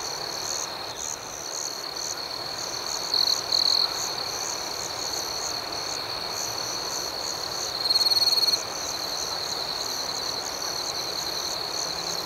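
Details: Many crickets chirp through the night in an unbroken high drone with pulses above. Louder close trills come in two bursts, around three seconds and again near eight seconds.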